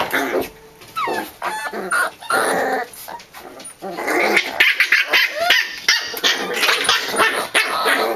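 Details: Emma's corgi pups roughhousing together: high, sliding yips and squeals mixed with noisy growling bursts, rapid and irregular, roughly three sounds a second.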